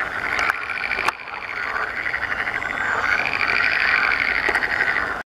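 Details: Green frogs calling in the breeding season form a dense, continuous chorus of rapid, rattling croaks, rising and falling in waves, with a few sharp clicks breaking through.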